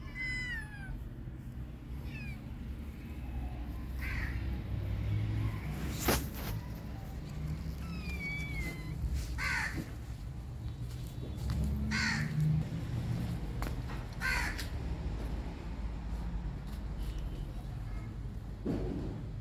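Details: Tiny kitten trapped in a net on a road gives several short, high meows that slide downward, scattered through the stretch, over a steady low rumble of traffic and occasional knocks.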